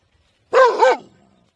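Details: A single dog bark, loud and harmonic, with two quick pitch humps run together, then a faint low hum after it fades.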